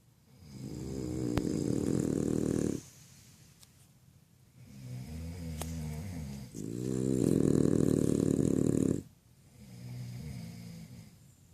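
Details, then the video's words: Sleeping French Bulldog named Freddy snoring indoors: long harsh rasping breaths of two to three seconds each, alternating louder inhales with quieter rumbling phases, low and throaty with a buzzing texture. "Freddy roncando."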